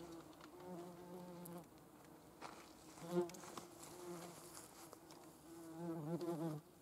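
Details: Foraging yellowjackets gathering protein for larval feeding: intermittent bursts of humming wing buzz, each a low tone with layered overtones, rising and falling as the wasps hover and move about. Brief clicks and rustles sound between bursts.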